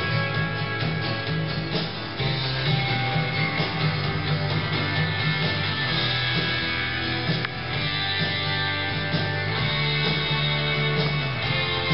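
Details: Strummed acoustic guitar music plays steadily throughout, with no animal sounds.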